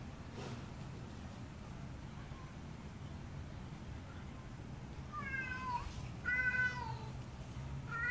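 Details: Male alley cat serenading his housecat lover under her window with a loud voice; after a quiet stretch of low background rumble, several drawn-out harmonic meows arrive near the end, each arching then falling in pitch.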